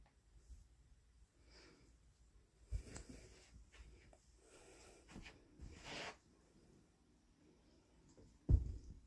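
A kitten purrs softly, a low steady rumble broken by rustling and a sharp knock.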